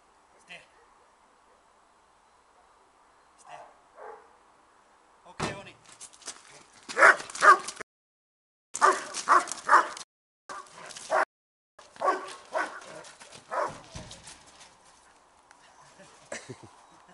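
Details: German Shepherd protection dog, an 18-month-old male trained for security and obedience, barking in loud clustered bursts of several sharp barks, with gaps between, plus a man's voice speaking quietly before the barking.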